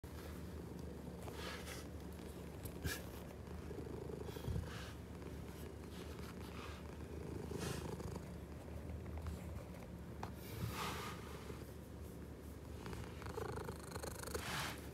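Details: Hungry pet cat purring indoors, a steady low rumbling purr running through the whole stretch, with occasional soft clicks and brief rustling noises over it.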